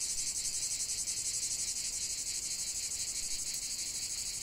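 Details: Cicadas singing in a natural setting, a bright, shrill, unbroken drone with quick rhythmic pulsations, steady in loudness from start to finish.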